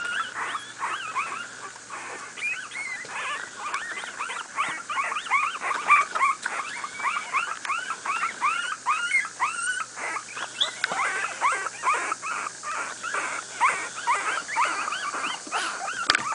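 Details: A young litter of miniature pinschers, two weeks old, at play, squeaking almost nonstop: dense, overlapping high whines and yips from several puppies over a faint background hiss.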